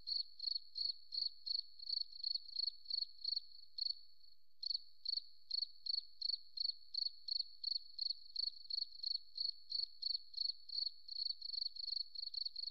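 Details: Rapid, rhythmic high chirps from a cricket in forest surroundings, pausing briefly for about half a second partway through, then resuming at the same quick pace of about three chirps per second.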